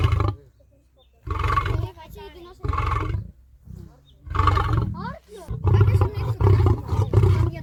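A lion gives a series of deep, rough roars, each burst rumbling low and ending abruptly.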